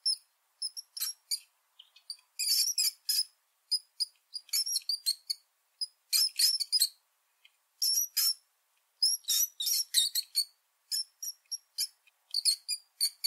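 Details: A brown (Norway) rat gives rapid, high-pitched squeaks and chirps in short, uneven bursts.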